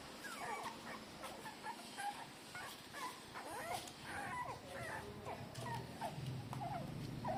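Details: Three-day-old newborn street-dog puppies nursing from their mother, giving many short high squeaky whimpers and squeals that rise and fall, overlapping in a busy chorus, with steady background hiss.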